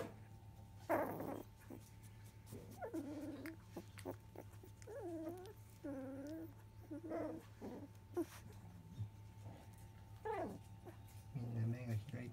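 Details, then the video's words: Field-line Labrador Retriever puppies, fifteen days old, eyes newly open, moved by basket onto newspaper bedding; a series of thin wavering whimpers and squeaks rising and falling, with rustling and a steady electrical hum. "Labrador puppy 15days old"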